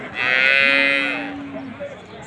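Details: Water buffalo at a livestock market in Tawfiqiya: a single steady, nasal moo of about one and a half seconds, level in pitch with a bright buzzy edge, fading at the end over faint background murmur.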